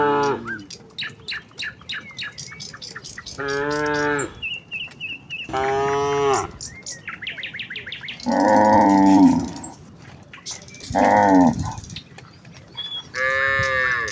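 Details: Village cows walking together towards the fields in a quiet morning setting, calling to each other: repeated loud moos, some rising and some falling, alternating with short bursts of sharp bird chirps.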